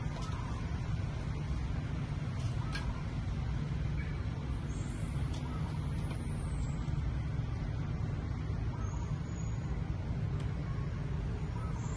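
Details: Continuous deep road-traffic rumble with faint high whines and brief clicks throughout; no animal voice.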